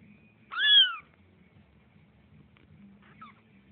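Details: A house cat gives one loud, drawn-out meow that rises then slides downward, followed after a pause by a much fainter short mew, in a quiet indoor room.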